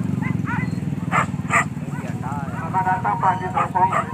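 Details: Dogs out pig hunting at Kayu Ampek in Tanjung Emas, Tanah Datar, let out short scattered barks, then a run of wavering yelps, over a constant low motor drone and some talking.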